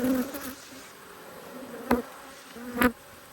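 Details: Honey bees from one of two Australian hives angry at being inspected, 5 March 2022, during a brood check of bees from a queen breeder: steady low wing hum with an overtone above, broken by two sharp handling knocks.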